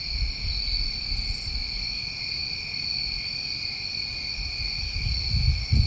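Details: New England summertime crickets at night in a chorus of steady, unbroken high trills layered in several pitch bands, with faint higher chirps flickering above, over a low rumbling background noise.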